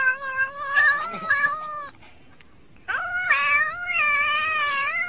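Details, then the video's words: Domestic cat in a humorous compilation making drawn-out, wavering yowls that bend in pitch, breaking off for about a second of near silence before a louder, sustained cry resumes and carries to the end. "talkin cat"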